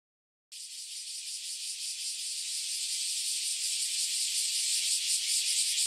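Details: Cicadas newly emerged after about ten years underground, chorusing before flying off: silence for half a second, then a loud, dense, high buzzing that swells steadily, with a fast pulsing throb throughout.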